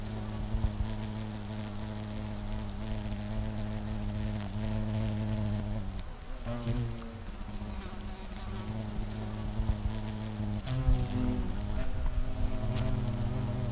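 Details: A European hornet (Vespa crabro) in Bizkaia, Spain, gives a deep, steady droning buzz that swells and dips as it moves about.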